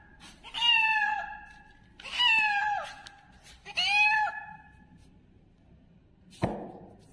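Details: Three loud, drawn-out kitten meows, each bright and slightly falling, spaced about one and a half seconds apart, followed by a sharp thump.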